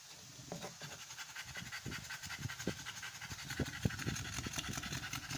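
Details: Amber, a female American Bully on the 56th day of her first pregnancy, in labor. She pants in quick, uneven breathy bursts over a steady engine-like hum.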